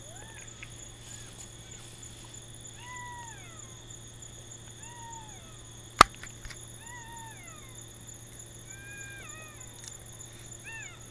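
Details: Golden jackals (Canis aureus) howl on a moonlit night in Nagorno-Karabakh near the Azerbaijan border, a distant chorus of thin, wavering wails that rise and then slide down.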